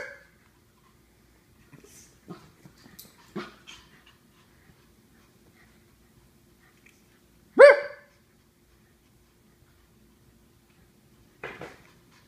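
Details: Japanese Chins barking: a few short, sharp yaps spaced by quiet gaps, one loud bright bark standing out midway and a softer one near the end, with faint breathing and snuffling sounds in between.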